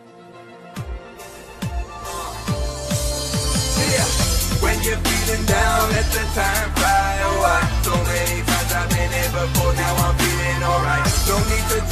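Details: Hip hop style electronic music with a heavy bass beat and synth lines, no animal sound audible.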